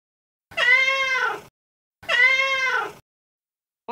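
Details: Young male street cat calling a female in heat: two loud, drawn-out harmonic meows about a second each, spaced roughly a second and a half apart, slightly arching in pitch, with a third beginning at the end.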